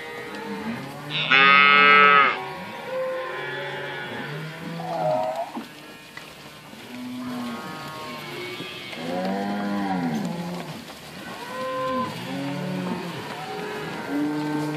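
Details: Cows and weaning calves in a herd at Inverland and La Florida; a higher, strained bawl opens, then many arching low moos follow one after another in an overlapping, continuous chorus.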